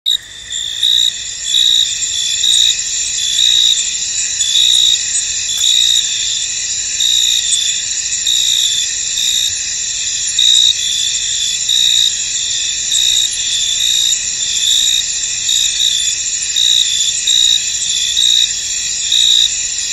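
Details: Crickets in a misty, foggy field: a dense, steady high-pitched chirping chorus with bright trilling bands, louder pulses recurring roughly every second, no other clear sounds.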